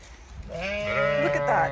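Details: Zwartbles ewe in an autumn field on an Irish regenerative farm in County Kilkenny gives a long, quavering bleat that rises and grows louder toward the end, following the person checking the pasture.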